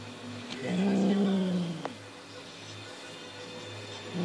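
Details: Six-month-old Highland Lynx cat Monty, toying with a fox tail on instinct, lets out a single low, wavering growl that swells and then fades into a quiet indoor hum, with a faint tap.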